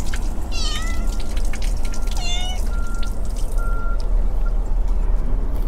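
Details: Abandoned brown tabby kitten in a park with a large pond, slightly ill with a cold, seeking affection from people; two clear, rising-then-falling meows about a second and a half apart over steady low wind and traffic rumble.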